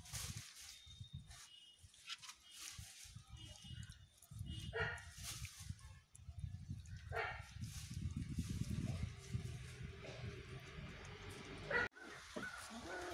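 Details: Angry puppy shut in a cage for the first time, barking at a big dog: short sharp barks repeated through the first half, then rougher growling and scuffling sounds, with a brief squeal near the end.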